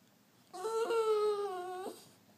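A dog gives a single drawn-out, nasal whine that slides gently downward, a cat-like meow on command.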